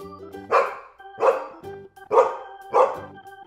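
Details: Dog barking for a children's lesson on farm animal names and sounds: four loud, harsh barks spaced roughly two-thirds of a second apart, over soft background music.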